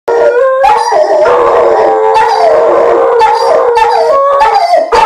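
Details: Dogs howl together in long, wavering tones that rise and fall and overlap, howling as Virginia Tech scores.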